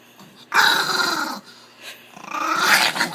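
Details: Angry Chihuahua dog sitting in a laundry basket indoors, giving two harsh, raspy growls: the first lasts nearly a second, then after a short quiet gap a second growl builds and rises in intensity.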